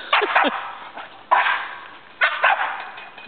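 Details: Two dogs, Jena the Labrador Retriever and Franklin the Boston Terrier, playing tetherball. Sharp broadband barks come in a quick pair, then single barks about a second apart, with a low room murmur between.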